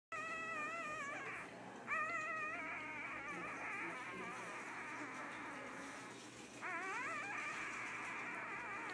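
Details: Puppy "singing": drawn-out, high wavering howls and whines with quivering pitch, running almost continuously with brief breaks and rising slides.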